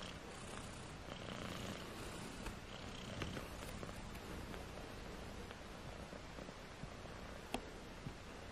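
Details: Tiny British Shorthair kittens, four of them at 18 days old, give a continuous low purr, a grainy throbbing drone that holds steady, with occasional soft clicks and one sharp tap near the end.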